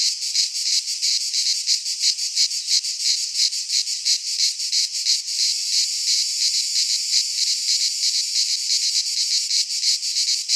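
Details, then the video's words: Chorus of cicadas in a pine forest in Greece during midsummer, an unbroken high rasping buzz that pulses quickly and evenly, roughly three swells each second, nothing else audible. "Cicadas singing in midsummer - Nature sounds from the Greek fauna - Sounds of cicadas"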